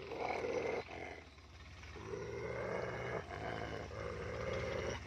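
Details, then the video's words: Pair of German Shepherds, double coat against single coat, in a fight; throaty, vibrating growls rise and fall in sustained stretches, with a short lull near the start before the snarling resumes. "Double coat vs single coat German Shepherds fight"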